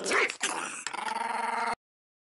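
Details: Indoor Chihuahua angered at the camera: a rough snarl opening into a steady buzzing growl with even harmonics lasting over a second, ending abruptly in silence.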